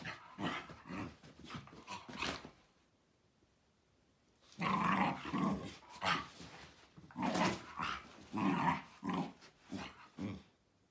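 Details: Two Miniature Bull Terriers make rough, throaty growl-like grunts in quick uneven bursts for about two seconds. After a short silence comes a longer run of loud, gruff, rumbling growls and huffs.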